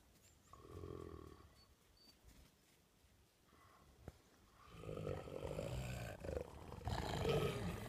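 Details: Two gray wolves (Canis lupus) growl at each other while settling a dispute, deep rumbling snarls rising into a harsh overlapping clash of aggression.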